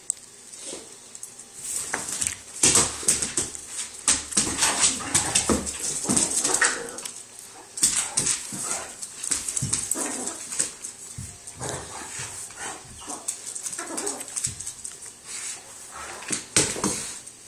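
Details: Great Dane and Yorkie playing together after a trip to the dog park; irregular, rapid bursts of short yips and scuffling noises, loud and quiet in turns, over a steady high hiss.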